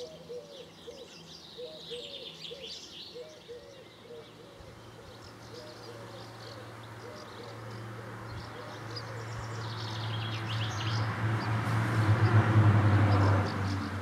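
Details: Edible frogs among water lilies at Donjon de Jouy in June, giving a rapid, regular pulsed croaking, about four pulses a second, mid-pitched. A low steady hum swells in the second half, with bird chirps above.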